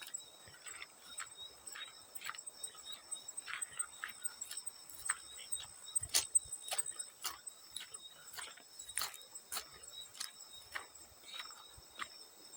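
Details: Field crickets calling: faint, steady high-pitched ringing trill held throughout, mixed with frequent sharp water splashes and drips at irregular intervals.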